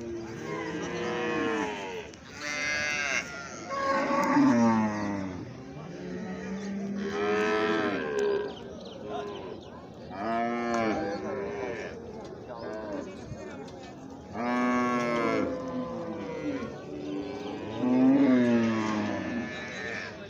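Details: Calves mooing: a run of loud, harmonic, nasal moos, each roughly one to two seconds long, some rising then falling in pitch, repeated every few seconds with short quiet gaps between them.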